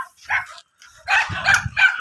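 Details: Whimpering American Bully at a stud session in Imbalbalatong, Pozorrubio, during mating: a short thin cry, a pause, then a louder cluster of strained, wavering whines with low rumbling underneath.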